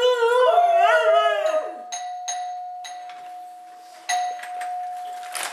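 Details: Misha, a female husky indoors, gives a drawn-out, wavering, howl-like 'talking' vocalization for about two seconds, then a doorbell chimes several times with bright ringing tones while people ask who is at the door.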